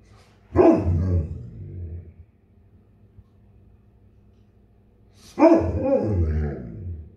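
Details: A vocal Bernese Mountain Dog waiting in the morning for his breakfast to cool gives two deep, drawn-out barks several seconds apart, showing impatience.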